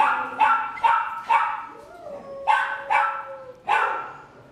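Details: A 10-year-old male senior Labrador Retriever at a shelter in Baldwin Park, California, gives a series of deep, hoarse barks in quick, uneven bursts.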